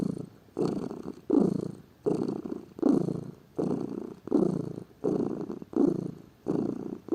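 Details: Purring of a lazy pet domestic cat, a steady low rumbling hum swelling and fading with each breath, about ten pulses in seven seconds, indoors and otherwise quiet.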